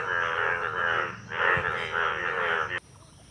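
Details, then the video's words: Indian bullfrogs in a village pond at the monsoon breeding season, males turned yellow with two blue vocal sacs; two long bursts of dense, nasal, overlapping croaks, then an abrupt cut to quiet background. "Indian Bull Frog / Frog Sounds"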